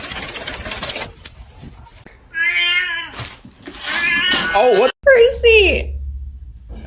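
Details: Domestic cat meowing indoors: a steady harmonic meow lasting under a second, then longer wavering, bending meows that slide up and down in pitch, with human voices talking before and between the calls.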